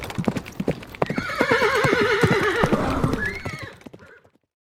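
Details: Quivering horse neigh rises over hoofbeats and holds a wavering tone for more than two seconds, ends in a short upward squeal, then fades to silence.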